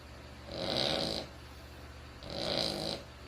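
A Cavalier King Charles Spaniel snores in raspy, breathy bursts, each lasting under a second.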